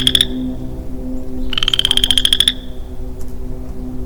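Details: Single male western chorus frog calling in woodland in early spring. The end of one trill, a pause, then one full rising, finely pulsed trill lasting about a second, like a thumb run along a comb, over a low hum.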